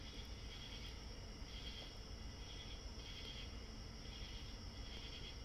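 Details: Real cicadas outside a window, picked up by a microphone behind a curtain and amplified, give a steady, high shimmering chorus that swells and fades over a low hum.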